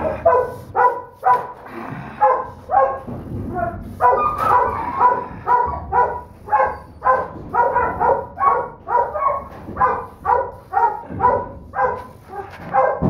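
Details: Holdback female Donovan Pinscher pup, third pick of a Duke x Survivor litter and described as biting hard and never letting go, repeating high, ringing puppy barks roughly two each second, with a brief rougher pause early on.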